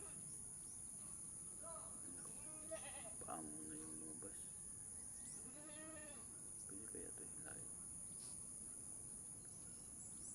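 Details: Doe goat struggling to give birth as a person helps pull the kid free; several short wavering bleats spread across the recording, mixed with human voices and a steady high-pitched hum.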